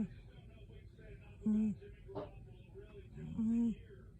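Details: Ruby, a cat, making funny little sounds while asleep indoors: two short, soft, steady hums about two seconds apart in a quiet room.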